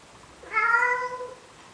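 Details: Single steady, drawn-out meow with clear layered harmonics from a male cat in Athens, Greece, coaxing a female Siamese cat to mate, lasting under a second indoors.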